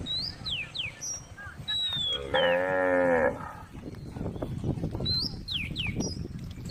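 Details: A tame female cow on a road beside rice fields gives a single full, resonant moo lasting about a second, with bird chirps around it.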